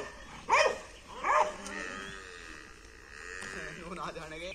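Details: Pit Bull dogs fighting each other: two short, sharp harmonic barks close together near the start, followed by quieter murmuring voices and low background noise.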